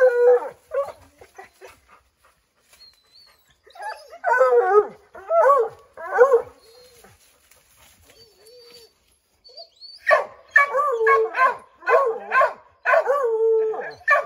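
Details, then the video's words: Five Redbone Coonhounds barking and howling at a chipmunk up an oak tree; scattered quiet yips at first, a burst of baying barks midway, then a dense run of overlapping barks near the end. "Redbone Coonhounds Tree a Chipmunk"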